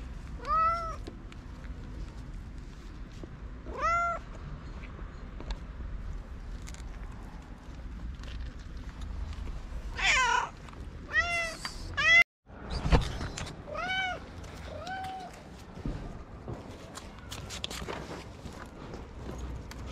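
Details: Feral street cats, hungry and waiting to be fed, give a scattered series of short, upward-curving meows, some overlapping in a cluster mid-way, with clicks, knocks and outdoor noise between calls.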